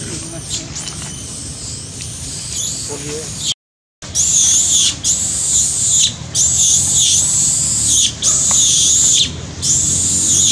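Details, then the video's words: Monkey Sean in a park crying loudly, hurt after Jane hits and bites him hard; after a brief cut, a run of about five shrill, piercing screams, each around a second long with short breaks, earlier fainter cries. "Heartbroken monkey Sean crying loudly so hurt cuz Jane hits & bites so hard"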